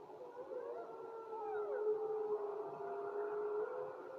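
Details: Wolves howling in chorus: one long steady low howl held throughout, joined by higher wavering voices that slide up and down, building in loudness after the first second over light background hiss.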